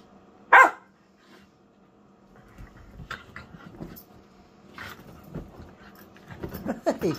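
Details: A whippet at play gives one sharp, loud bark early on, then quieter scattered yips and scuffling sounds follow with low background hum.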